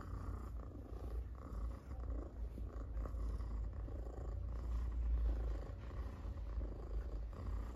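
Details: Cat purrs while being petted, a rapid low rumble pulsing roughly four times a second, growing louder toward the middle, close and intimate with soft contact sounds.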